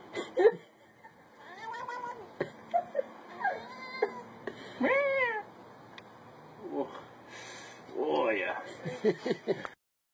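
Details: Cat being tickled, giving a series of short varied meows and chirping cries, some arching upward and sharply bent, separated by brief pauses, with faint room sounds.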